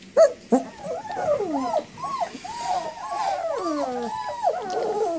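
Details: Puppy whining steadily: a run of drawn-out, bending squeals that rise and fall, some sliding down in pitch, following two sharp opening yelps.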